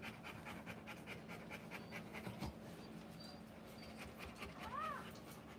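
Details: Rottweiler in labour during a live birth of puppies, rapid rhythmic breaths repeating in a steady train, with murmured human voices nearby and a short high squeak near the end.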